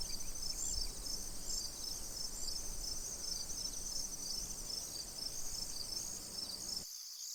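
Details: Crickets calling beside a tranquil pond: high, short chirps repeated steadily several times a second over a continuous shrill trill, with a faint low rumble beneath, ending abruptly in silence.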